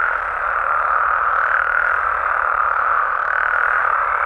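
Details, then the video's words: Night chorus of frogs and toads in Mexico: a dense, steady wall of massed croaking and trilling from many callers, unbroken for the whole stretch, with a faint thin tone appearing near the end. "Mexican Frogs & Toads Sounds"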